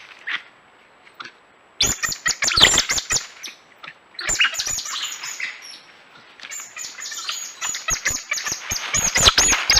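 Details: Coati giving dense bursts of shrill, high squeals and chattering chirps, loud from about two seconds on, with a brief lull near four seconds before the rapid squealing resumes and builds to the end.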